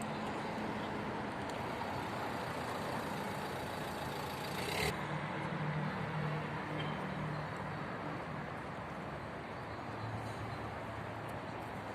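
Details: Steady roar of road traffic and passing vehicles fills the scene, with one sharp knock partway through and no animal voice.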